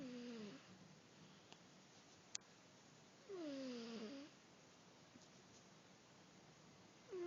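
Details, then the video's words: Sleeping cat snoring indoors: whistly, falling nasal tones on each breath, roughly every three and a half seconds, with quiet gaps and a single click between them. "The snoring cat !"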